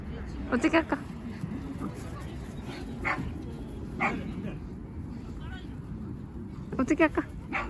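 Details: Boston Terrier named Mocca at a playground, whining excitedly on spotting a favourite soft, bouncy ball and begging for it to be kicked. A quick cluster of high, strained yips opens, single whines follow, and another burst comes near the end over steady wind rumble.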